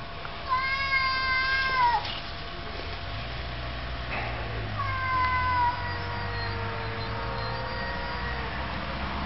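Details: Domestic cats quarrelling: two long drawn-out tonal wails, the first sliding downward near the two-second mark, the second a lower sustained moan after a pause, over a steady low hum.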